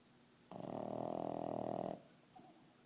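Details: Domestic dog snoring indoors: one long, buzzy, pulsing snore lasting about a second and a half, rough and steady in tone, then quiet room noise with a faint rustle.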